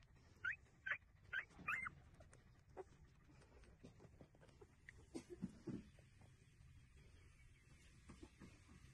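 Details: Street puppies nursing, opening with a quick run of four sharp, high whimpering squeals, then quieter scattered squeaks and short yelps against a low, steady background hum.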